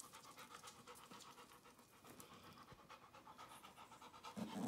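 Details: A puppy panting rapidly and steadily, about four soft breathy pulses each second, the rhythm holding evenly throughout, with a louder rustling burst near the end.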